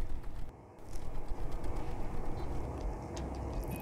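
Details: Low rumbling noise like a passing vehicle, with faint scattered ticks and no animal voice heard.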